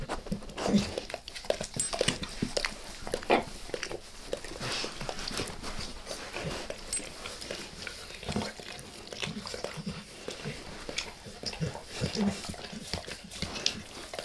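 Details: Close-up recording of a pet dog licking its owner's face in a small room: soft, moist tongue smacks and lapping clicks, dense and irregular throughout.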